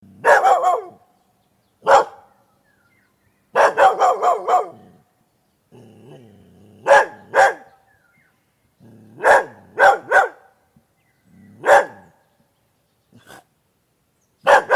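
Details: A domestic dog barks loudly in a clean, quiet recording. Full, sharp barks come singly or in quick runs of two to four, separated by short silences. Low, soft grumbling growls sometimes sit between the bursts.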